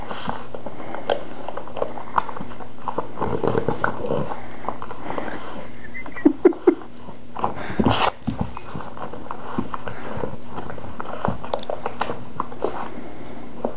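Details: Tony, a pet Boston Terrier, torn between his tennis ball and his squeaky toy, gives low grunts and short soft whimpers amid scuffling play noise, with a few brief high squeaks midway and a steady indoor hum behind.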